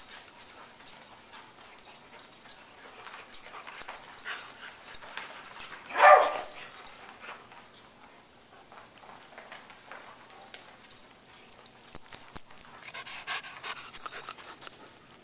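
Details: Older female Beagle at Double Dog Day Care in Stow, Ohio, telling the puppies who's in charge while playing; one sharp, loud bark stands out midway against a low murmur of daycare background noise.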